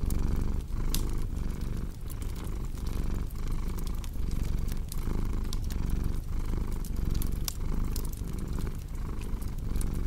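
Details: Low rumbling cat purr pulsing in breath cycles of about a second, with frequent crisp fireplace crackles snapping above it.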